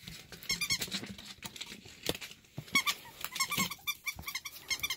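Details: A pet ferret that has recovered from a critical condition for the third time gives quick bursts of high, thin squeaky chirps, several in a row and repeated in clusters every second or so, with faint handling noises between.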